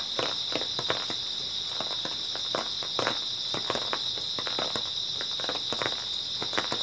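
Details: Grass insects chirp steadily on an early autumn night while footsteps crunch along at a quick, uneven pace over the high continuous insect drone.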